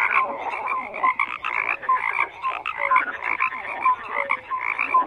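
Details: Many frogs croaking at once, rhythmic rattling bursts with clipped tonal chirps scattered between, loud and steady across the whole stretch.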